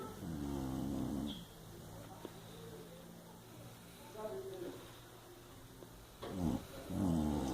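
A Chow Chow snores in low, rumbling rasps, with a few louder snorts between quieter breaths.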